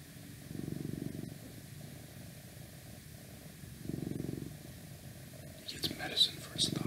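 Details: Domestic cat purring in slow, low rumbling bursts that swell roughly every three seconds, with faint whispering and a few sharp outside noises near the end.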